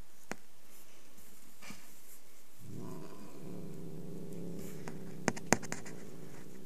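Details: Angry cat starting a low, rough, continuous growl midway and holding it to the end, with a couple of sharp clicks and taps in a quiet room.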